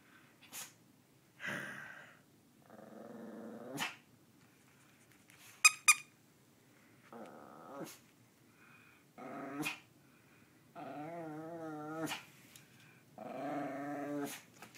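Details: Percy, a pet dog playing tug indoors, growls in several drawn-out rumbling bouts, some wavering and rising into snarls, with brief sharp clicks and squeaks between them.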